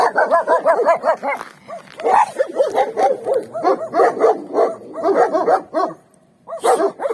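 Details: Several free-roaming dogs on a winter street, with a few more behind a fence, bark in quick, overlapping bursts, sharper yips breaking through the chorus.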